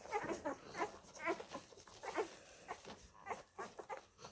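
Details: Labrador puppies from the F litter suckling on their mother Molly. Brief high squeaks and tiny yelps come every half second or so over muffled shuffling and smacking noises.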